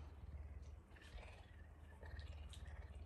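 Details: Low, continuous pulsing purr from Messi the puma during an affectionate morning greeting while licking, deep and even with a slight dip in loudness mid-way, faint higher rustles above and a short knock at the close.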